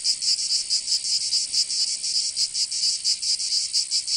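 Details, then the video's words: Cicadas in Provence in the south of France during summer, their high rasping buzz swelling and fading in quick pulses, around five per second. "Canto Cigarra 🦗 [ Escuchar les cigarras en verano 10 H]"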